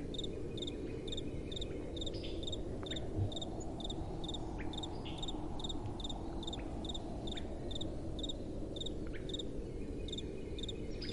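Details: Crickets on a windy night: bright, regular chirps about twice a second dominate, with a few faint sliding calls in the background and a soft, steady wind.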